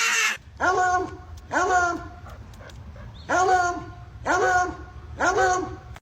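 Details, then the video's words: Pet dog producing comical vocal noises: five arched, rising-then-falling yowls, each about half a second long, repeated roughly once a second, against a low steady hum. "Funny Dog Sounds"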